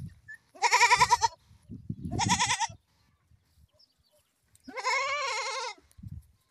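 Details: Goat bleats, three quavering, strained cries with a trembling vibrato, the last one longer and drawn out, separated by low thumps and shuffling.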